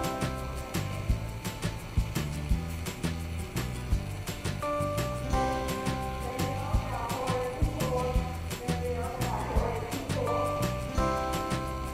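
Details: Background music with a steady beat and sustained melodic tones plays throughout, with no animal sound heard.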